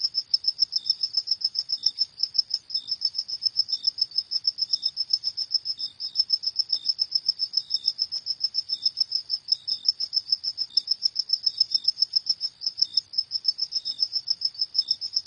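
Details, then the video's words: Crickets chirping at night: a steady high-pitched pulsed trill repeated several times a second, with a fainter lower chirp layered intermittently beneath, no other sounds. "Suara Jangkrik di Malam Hari"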